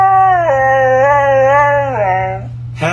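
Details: A Siberian Husky vocalising back as a man talks to it and asks it to say hello, a long wavering tonal howl with a dip and bends in pitch, ending in a short sharp yelp; a steady low hum runs underneath.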